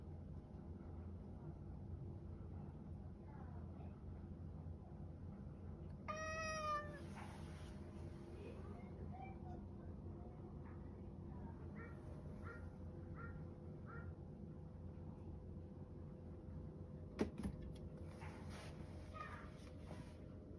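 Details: Satchan, a rescued male cat born around spring 2019, meows because he wants to go outside: one loud, drawn-out meow rich in overtones near the middle, then several soft short mews. A steady low indoor hum runs underneath, with a sharp click near the end.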